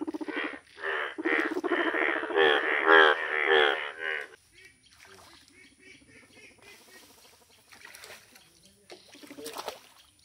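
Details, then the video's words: Indian bullfrogs, bright yellow, give a loud burst of overlapping nasal croaks for about four seconds, then fall to faint, scattered calls with a few sharp clicks. "Rare Yellow Frog Wonderful Indian Bullfrog Video | Frog Sounds"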